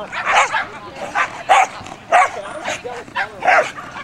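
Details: Kiwi, a dog running the Performance Speed Jumping class, barking enthusiastically because she is enjoying the run: sharp, bright barks repeated in an uneven rhythm, six in quick succession, some closely paired, over a low murmur of background noise.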